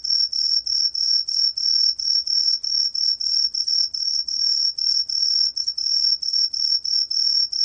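A green pine cricket gives a high, pure, ringing song in steady short bursts, about three each second.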